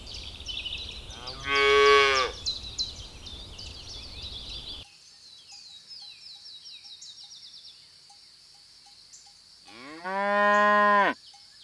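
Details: Cows on a lush green meadow searching for food. Two long, deep, harmonic moos, one early and one near the end, each lasting about a second. Between them come busy high bird chirps and a quiet rural background.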